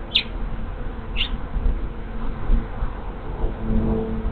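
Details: Honey bee swarm moving into an empty hive on 24 March 2023, a large swarm arriving after scout bees: a steady, low, droning hum throughout, with two brief high bird chirps near the start.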